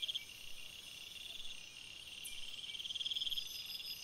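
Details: Crickets chirping at night in a forest, a dense chorus of high, steady trills layered at several pitches, with one pulsed trill swelling near the start and again toward the end.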